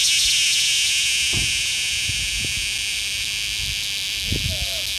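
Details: In a small Georgia town, a cicada filmed up close gives a loud, steady, high-pitched buzz that holds without a break from start to finish.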